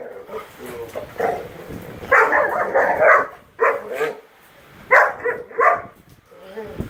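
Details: Great Dane puppies playing rough: bursts of harsh, mid-pitched growling and yapping barks, one long noisy stretch then shorter clustered outbursts separated by quiet gaps, with human voices mixed in.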